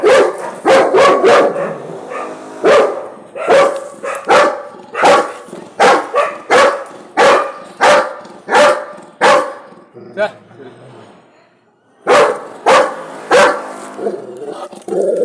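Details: A Labrador Retriever barks loudly and repeatedly at dogs in sharp, deep bursts.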